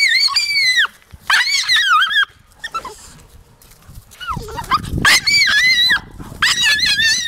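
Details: Taka the Jagdterrier whines in high, wavering bursts that slide downward at their ends. A quieter stretch in the middle holds soft rustling and a brief knock, then the excited whimpering resumes.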